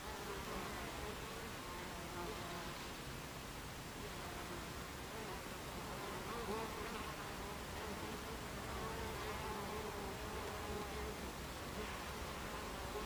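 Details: Hive entrance of Buckfast bees, recorded 26 July 2013, 14:30: continuous murmuring hum with repeated low buzzing tones from bees flying close by, some rising slightly as they pass.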